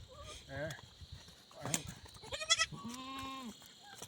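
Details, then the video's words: Himalayan goat in a jungle, Uttarakhand, India, giving one drawn-out, steady bleat near the end after brief human voices and clatter; a high-pitched buzz continues in the background. "जंगल में बकरी के साथ/himalayan goat"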